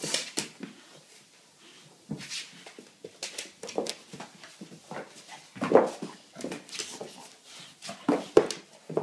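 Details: Rescue American bulldog, brought from Ireland to Sweden, playing indoors in a small room: short, rough, noisy grunts and growly bursts come in irregular bouts, with a few louder snorts and some clattering in between.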